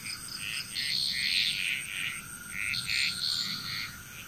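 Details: Chorus of frogs from Bali, Indonesia: rounded, bubbling croaks in fast irregular runs, rising and falling in loudness, over a steady high-pitched drone.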